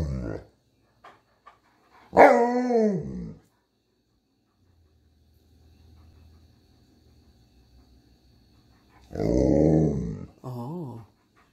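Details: Pet Alaskan Malamute snow dogs at home, one of two, giving drawn-out, moaning, talking-style vocalizations that rise and fall, one burst about a second long and a later longer one followed by a short wavering whine, with people speaking in between.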